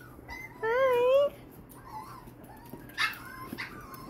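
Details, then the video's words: Wheaten Terrier puppy giving one high, wavering whine of under a second, then softer broken whimpers, with a person's quiet voice nearby. "wheaten terrier puppy"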